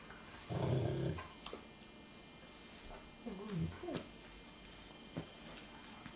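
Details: Puppy X, 10 weeks old, playing with 10-month-old Golden Retriever Caesar; a short deep growl opens, followed by quiet gaps, a thin rising-falling whine, and small clicks and knocks of movement.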